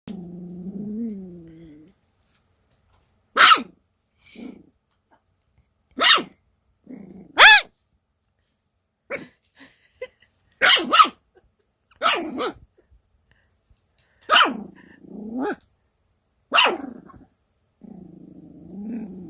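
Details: Toy Poodle puppy, 49 days after birth, filmed together with its mother; sharp high yaps burst out every one to two seconds, about nine in all, with a whiny whimper at the start and close.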